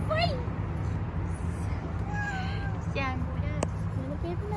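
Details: Stray white cat on a street, being petted, gives short rising-falling meows among other tonal cries; steady low traffic rumble and human speech underneath.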